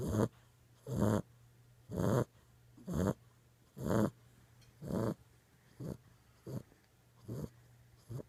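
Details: Sleeping Boxer puppy six weeks old, giving strong, regular snores about once per second, each a harsh rasping burst, fading softer toward the end over a constant low hum.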